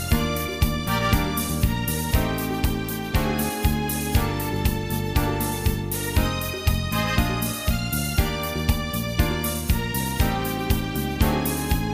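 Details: Upbeat electric piano and keyboard music with a steady bass beat fills the whole stretch, and no animal sounds come through.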